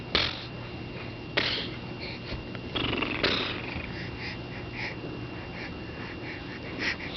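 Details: A domestic cat purring indoors in a small room, a steady low rumbling hum running through the whole recording, broken by a few louder rustling bumps and short noisy bursts.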